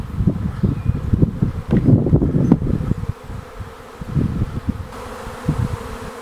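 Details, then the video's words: Wild honey bee swarm at Aigurande, France: a dense, low, continuous droning buzz of many bees, swelling louder in the first half, then settling into a steadier hum. "abeilles aigurande"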